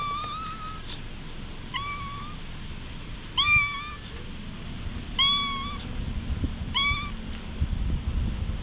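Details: Stray cat being patted, recorded with a GoPro HERO8: six clear meows, each a short, slightly rising, harmonic-rich cry spaced roughly one to two seconds apart, over a faint low rumble.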